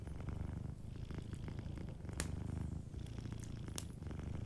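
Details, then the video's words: Sleeping cat purring softly indoors by a fireplace: a steady low rumbling purr in rhythmic pulses, with sharp crackles and pops from the fire over the top. "a Sleeping Cat 🐱💤Fireplace & Soft Purring"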